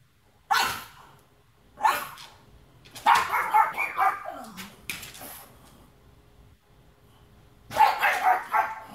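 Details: Watch dog barking: a handful of loud, harsh barks spaced irregularly, one run of several quick barks in the middle, then a final heavy bark after a short quiet gap.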